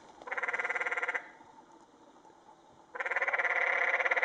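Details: Canyon tree frogs (Dryophytes arenicolor) on the Secret Canyon Trail, Sedona, Arizona, in 2011, one in the water, give loud amorous calls: two bursts of rapid, rattling, bleat-like pulses separated by a quiet pause.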